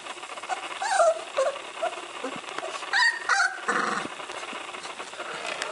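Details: Flat-Coated Retriever puppies at a breeding kennel in Rhône-Alpes, France, giving thin, squeaky whines and short yelps in scattered bursts, some bending up and down in pitch, over a steady background hiss.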